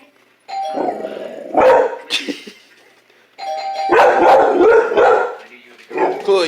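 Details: A household dog screams at the sound of the doorbell: the chime rings twice, and each time it is answered by rough, drawn-out shrieking cries, with a person's voice mixed in.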